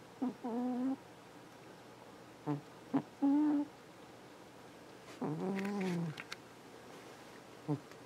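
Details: Domestic cat asleep in its bed on a window, snoring: short nasal, tonal snores with a buzzy harmonic edge, coming in bursts every two to three seconds, with a few longer rough breaths between quiet pauses.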